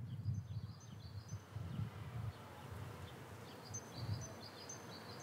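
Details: Bees feeding on nectar in a blossoming almond tree on a warm early-spring day; a low humming buzz swells and fades in uneven bursts, while high, short bird chirps repeat in the background.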